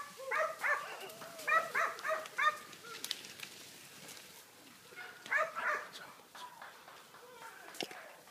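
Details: Wild boar hunting dogs during training in September 2013; clustered bursts of four or five harmonic barks and bays, separated by quieter stretches with distant yelps.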